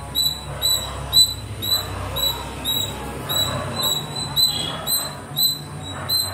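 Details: Little squirrel climbing and playing in the trees, giving sharp high chirps repeated about twice per second in a steady series over a soft low background hum.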